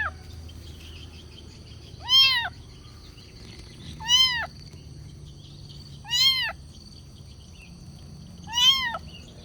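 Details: Kitten meowing to ask for food: four high, arched, harmonic meows, each about half a second long, spaced roughly two seconds apart over a faint low hum.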